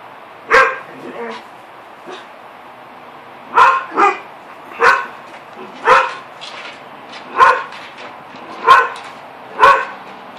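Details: Two Standard Poodles bark at a neighbour's cat to drive it back onto its own roof. Sharp, loud single barks come singly or in close pairs, roughly every second, with short quiet gaps between bursts.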